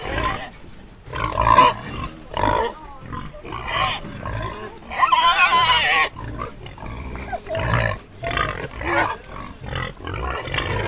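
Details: A wild boar in a forest grunts and snorts in a series of rough, irregular bursts. Wild boar.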